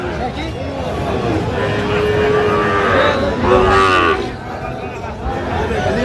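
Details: Sahiwal bull calves and bulls at a market, 23 August 2025; a drawn-out moo rising and falling mid-clip, set against dense human chatter and bargaining voices.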